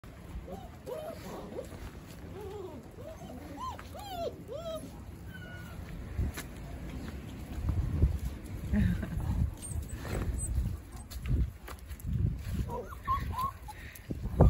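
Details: East European Shepherd puppies with their caring father: thin, high whimpers rise and fall in a quick run of short squeals over the first five seconds, then give way to low rustling and handling noise.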